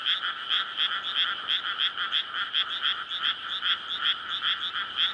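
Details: Nighttime May chorus of frogs in a flooded paddy before rice planting, males calling in courtship to spawn; bright rattling croaks repeated quickly and overlapping into a steady wall of sound.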